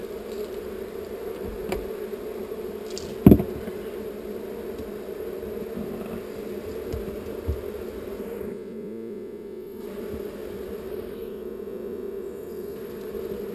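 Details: Steady low buzzing from a swarm of honey bees being moved to a new location; one loud knock early on, and the higher tones briefly drop away twice while the hum carries on.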